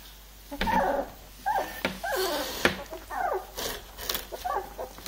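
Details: Three-week-old Labrador Retriever puppies whimper in a run of short, high, wavering whines and squeaks with brief gaps between them. Sharp clicks and handling noises break in between the cries.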